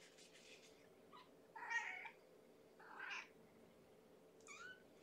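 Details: Indoor kennel at bedtime feeding, where hungry female kitten Amber, from Gamora's litter of five born April 14, gives a few soft, short meows spaced over several seconds against a quiet background hum.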